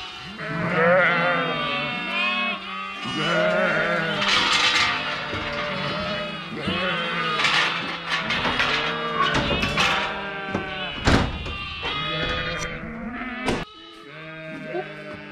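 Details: Sheep (Ovis aries): ewes and lambs over two weeks old, in the fourth week of lambing, bleat over one another as lambs seek their mothers, with music behind. They call to find each other while being gathered and moved to a pasture a couple of miles away.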